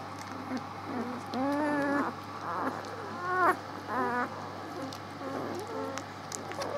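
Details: Newborn puppies, six days old, filmed 19 March: a handful of separate nasal squeals and short bent whines in bursts about a second apart, then quieter peeps, with an electrical hum underneath.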